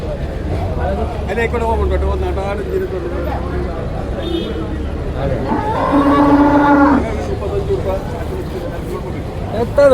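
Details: Water buffalo calf at a busy market, being sold: one drawn-out, steady-pitched moo near the end after low murmurs, set against constant crowd chatter and nearby men talking.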